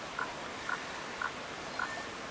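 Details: Male Baw Baw frog calling consistently all morning beside a pitfall trap bucket where a female was found, at a known calling site in Victoria's Baw Baw area: four short, clicky pulsed notes repeated about every half second over steady background hiss.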